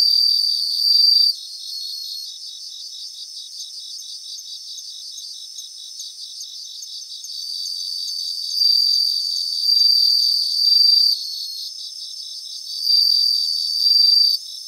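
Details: Several bell crickets sing in grassland. Bright, high ringing trills come in bursts of about one to two seconds, separated by quieter stretches where a soft, rapidly pulsing insect chorus carries on underneath.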